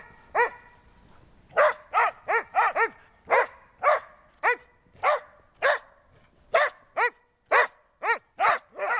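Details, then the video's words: Dog barking in a long series of sharp, loud barks, some in quick doubles and triples, others spaced about half a second to a second apart, over a quiet background. "Snow barking again"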